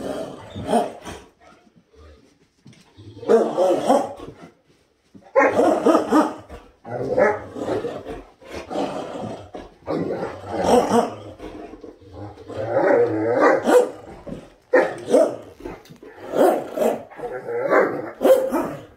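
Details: A Great Dane's morning 'conversation': a run of deep, drawn-out moans, groans and grumbles rising and falling in pitch, in uneven bouts separated by short pauses.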